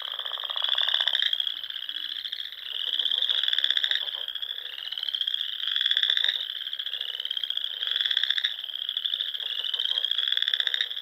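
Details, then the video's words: Frogs singing at dusk across Nebraska Sandhills ponds in spring: unbroken shrill trilling chorus, loud bursts swelling and fading in steady succession, with faint brief low notes early on. "RELAXING SOUNDS OF FROGS"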